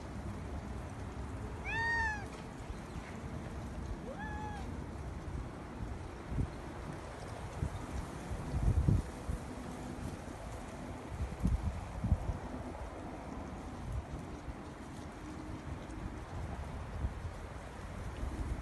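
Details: Domestic cat meowing to be let out: two clear, drawn-out meows that rise and then fall, about two and a half seconds apart, followed by a steady low rumble with scattered thumps and knocks.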